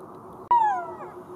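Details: One abrupt golden jackal cry, starting sharply and sliding steadily downward in pitch before trailing off, against a quiet humming background.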